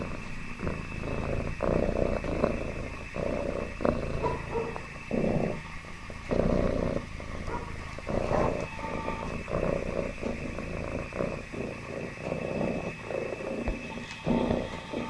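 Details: Contented domestic cat giving a deep, vibrating purr in rhythmic bursts that alternate louder and softer about once a second, steady and continuous over a faint background hum.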